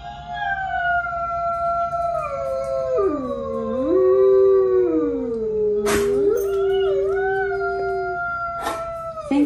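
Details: Pet Alaskan Malamute Tonka howling on cue to show Alexa how a wolf really howls. Long, wavering, tonal howl that slides down, dips, and climbs again, with two overlapping voices, sharp clicks near the end, and no other clear sounds.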